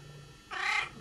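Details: After a Bengal cat has had two kittens indoors: a single short, high-pitched mew lasting a fraction of a second, bright and slightly nasal, against low background hum.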